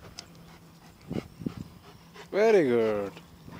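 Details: A 10-month-old German Shepherd plays in the countryside and fetches a ball. It gives one drawn-out, tonal whine of under a second that rises and then slides down. Soft thumps and rustles come before it.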